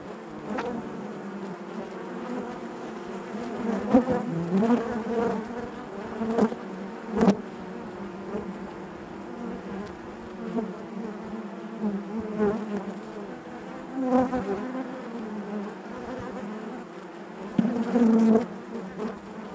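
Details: A long stretch of honey bee hive buzzing: constant low droning with bees repeatedly zipping past, each passing bee giving a brief louder buzz that rises and falls against the colony's hum.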